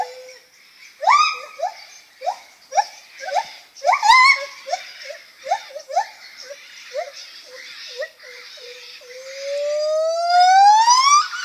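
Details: Lar gibbon calling with quick upswept hoots, about two per second, some louder and higher around the fourth second, fading into soft notes and ending in a long smooth rising whistle-like wail.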